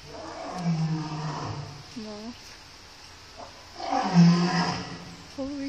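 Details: Lions and a lioness at the National Zoo in Washington DC give deep, rumbling roars, each a low drawn-out moan lasting about a second.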